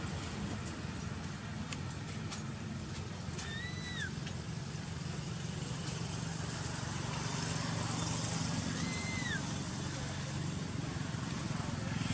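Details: Poppy, a baby monkey, temper-crying in anger at alpha monkey Tara for taking her: brief rising-then-falling whistled cries about five seconds apart, heard over heavy hiss and a constant low engine-like rumble.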